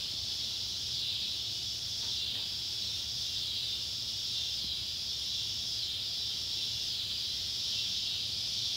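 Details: Cicadas of two species, Neotibicen pruinosus and Neotibicen tibicen, calling in sunset light over an old tobacco barn in Ballard County, Kentucky, on July 31, 2013: a loud, rasping drone with gentle pulsing swells about once a second.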